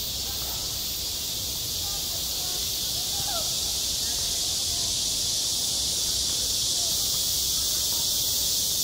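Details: A continuous high, hissing buzz from cicadas at a school playground in the height of summer, even and unbroken, with faint distant voice-like sounds underneath.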